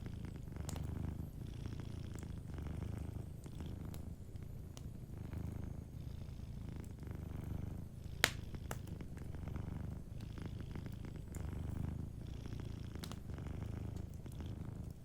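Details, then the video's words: Sleeping cat purring softly by a warm fireplace: a steady low rumble rising and falling with each breath, about every two seconds, with scattered sharp pops and crackles from the fire. "Warm Fireplace Ambience with a Sleeping Cat 🐱💤Fireplace & Soft Purring"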